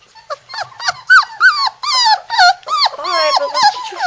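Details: Three-week-old Labrador Retriever puppies in Florida cry as they try to climb out of their puppy house: a dense run of high, arching whines and squeals, several overlapping, each sliding up then down, repeated almost three times a second.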